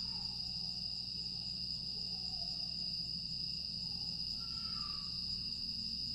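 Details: On a still summer night in Aewol, Jeju, 25 August 2022, grass insects keep up an even, high-pitched ringing drone; a couple of soft lower whistled notes appear, one clearer near the fifth second.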